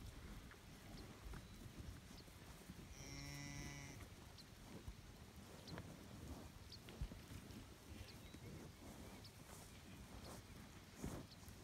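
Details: Highland cattle bull on a farm in Finland, 25 June 2018, outdoors. A single rich, harmonic moo lasting about a second midway through, over a steady low rumble and scattered rustling and clicking noises.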